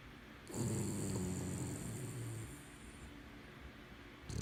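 A sleeping Boston Terrier snores with a low, rumbling, rattling breath.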